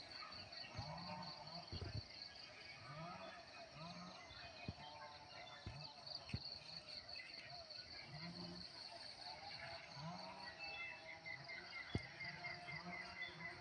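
A continuous high-pitched cricket chorus runs throughout, its fast pulses blending into a shimmering trill. Voices speaking and exclaiming in low tones come and go over the insects, with occasional knocks and thumps.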